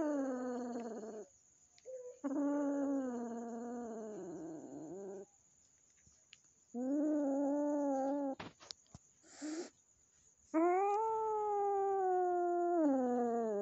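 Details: Domestic cats at home as a newly adopted kitten, gifted by a friend and still afraid, meets the resident cat; long drawn-out moaning yowls, some wavering and falling, repeated several times with quiet gaps and a brief clatter between.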